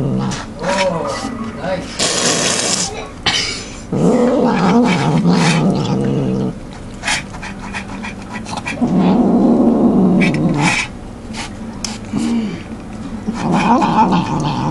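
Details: Domestic cat growling while devouring its food, refusing to share; low rumbling growls in two long bouts around chewing and crunching noises, with intermittent human speech and handling sounds.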